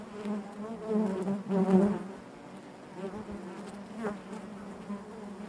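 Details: Inside a honey bee hive, a dense low hum of many bees, louder near the start as close buzzing bees swell and fade, then settling into an even drone.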